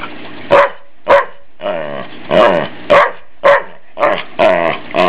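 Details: Family dog Ike, teased in play by his family, barks in a steady run of about nine sharp, harmonic barks, some drawn out into growly yowls, roughly two per second, with a faint constant hum beneath.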